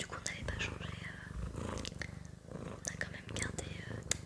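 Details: Sakura, a pet cat, purring indoors in a small room: a low, steady, pulsing rumble running throughout, with soft whispered French speech and light hand sounds layered on top.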